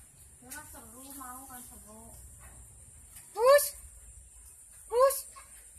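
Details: Kitten of a village cat, a domestic kampung cat, heard indoors giving two loud, high mews that rise then fall, about a second and a half apart, after a stretch of soft human talking.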